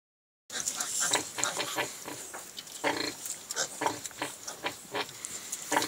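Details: A sow and her litter of piglets on a farm eating lunch together, giving dense, rapid crackling and slurping bursts of chewing noise with occasional soft grunts throughout.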